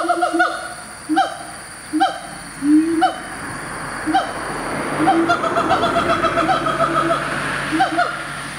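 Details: In a Malaysian tropical forest, a siamang gives its territorial call, loud resonant hoots about once a second that crowd into a denser, excited run over a steady forest hum. Siamangs are commonly heard calling in the morning.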